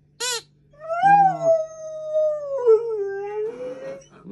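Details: Maggie, a female Alaskan Malamute puppy, curious but a little scared of her new squeaky alligator toy, gives a sharp yelp, then a long wavering howl that sags and lifts again.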